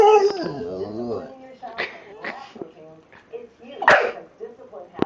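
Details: Pet American Pit Bull Terrier 'talking': a wavering, moan-like voiced sound sliding up and down for about a second, then scattered short grunts and soft huffs, with a person's voice close by.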